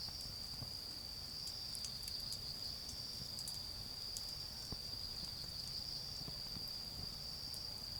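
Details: Autumn insect voices from a garden where a bonfire burns down to charcoal, a continuous high-pitched ringing trill holding level for the whole stretch over a low, soft background rumble, with a few faint crackles.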